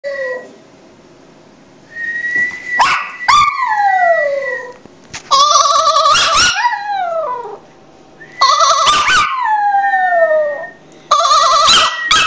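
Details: Maltese (Canis familiaris), howl.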